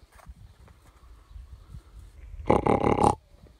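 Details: Early-morning wild boar in a mountainside meadow at Pobergje, Deçan, 26 July 2021, 4:54 am, surprised at close range; after low rustling, a single loud, rasping grunt with a pulsed texture lasts under a second.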